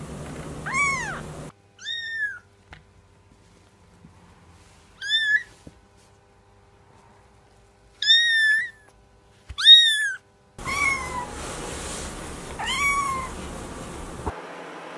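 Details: Short meows from cats, separated by near silence: high, arched calls sliding up then down, several in quick pairs, the last few over a louder background hiss.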